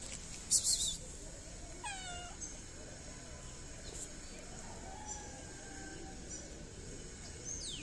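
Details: A fluffy cat that loves to be petted before and after eating, among stray cats in a Moroccan city, lets out a clear descending meow followed later by a softer, longer mew, with scattered noise bursts.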